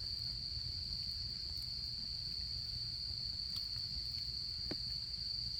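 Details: Autumn insects singing at a campfire site: a bright, unwavering high trill continues throughout, joined by a few crisp crackles from the fire and a soft low-pitched murmur underneath.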